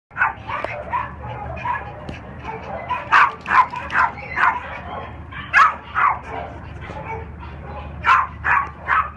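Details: Black-and-tan Cairn Terrier and Lhasa Apso mix, an unaltered three-year-old male shelter dog, barking: sharp mid-pitched barks in clusters, some rapid doubled, with a low steady hum and faint background noise.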